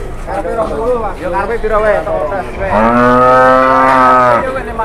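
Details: Enraged cow that charged during livestock bargaining: people talk at first, then a long, low, steady moo with rich harmonics holds for nearly two seconds before breaking off.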